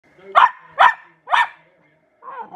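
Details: Female Glen of Imaal terrier puppy trying out her newly found bark: three sharp, fairly high barks about half a second apart, then a softer trailing yelp, with a person's voice just after.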